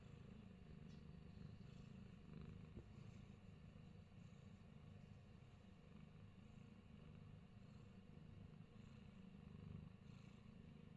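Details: Low, rough rumbling purr from Fat Boy, a Himalayan Persian cat kept in New Zealand, droning on without a break through the whole stretch beneath a faint background hiss.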